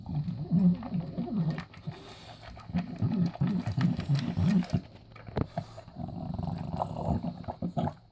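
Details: A 6-year-old bulldog eating dry dog food: loud low crunching, chomping and snuffling in bursts, with brief quieter pauses between mouthfuls.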